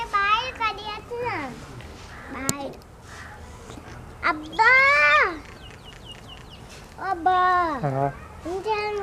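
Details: White goat kids drinking milk give several loud, wavering bleats, each about a second long with a tremulous falling pitch, spaced by short gaps. Quieter human voices and soft rustling fill the pauses between calls.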